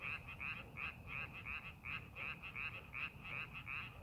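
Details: Steady series of short, rasping frog croaks, close to three per second, from rice paddies being prepared for farming, with a soft low rumble underneath.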